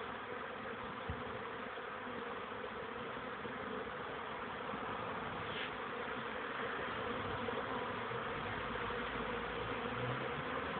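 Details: Young honey bees making orientation flights outside a hive in the early afternoon of 13 May 2013, the first warm day after cold rain. Continuous, even droning of many wings with a mid-pitched humming band.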